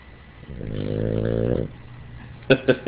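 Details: A Boston Terrier, asleep and dreaming at night, gives one long, low, buzzy snore, followed by a few short clipped sounds.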